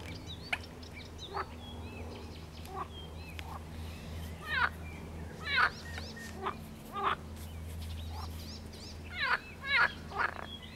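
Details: A water frog gives loud, rattling croaks in short bursts, some doubled, while an icterine warbler sings varied whistled phrases throughout over a low steady hum, on 16 May 2022.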